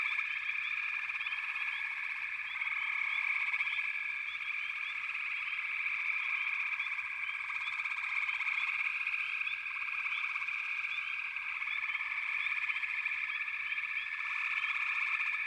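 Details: Many frogs call together in an unbroken, high-pitched trilling chorus, layered and continuous, with faint short chirps flickering above the steady wall of sound.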